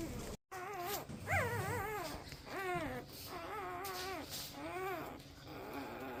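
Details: Newborn Golden Retriever puppies, a litter of twelve born to their mother Rosie, give repeated high wavering whimpers and squeals, several rising then falling in arcs, with soft room noise between cries.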